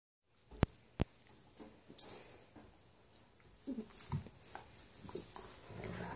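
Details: Siberian Husky puppies, 3 months old, playing in a dog pile with a 2.5-year-old dog: soft, scattered whimpers and low grumbles, with a couple of sharp knocks early on.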